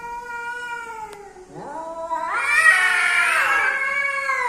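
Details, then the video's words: Male and female cats meeting, giving strange yowls: a sustained moaning tone dips, then swells into a loud, harsh, rising caterwaul that holds and wavers to the end. "The strange sounds of male and female cats when they come together."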